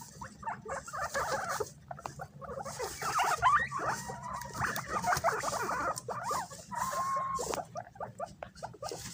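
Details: Group of pet guinea pigs fighting over bananas, voices raised as something approaches; busy overlapping squeaks and chattering squeals with a brief whistled wheek, amid rustling and chewing noises.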